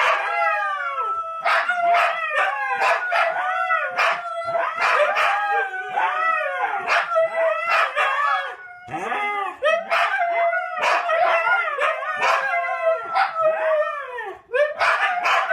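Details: Trio of Siberian Huskies in a lively vocal session: rising and falling arched howls overlap with rapid yaps and barks, a nearly continuous chorus with only short gaps.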